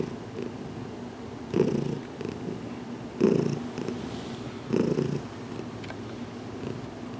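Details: Heidi, a domestic cat still getting used to being handled, purring during a head massage in a closet; steady low rumbling with louder swells about every one and a half seconds as she breathes.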